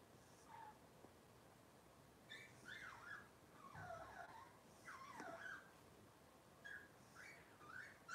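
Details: Several faint, squeaky whines and whimpers from Robin's litter of Cavalier King Charles Spaniel puppies, recorded indoors. Short rising and falling cries come in loose bursts throughout, some overlapping, against a soft steady background hiss.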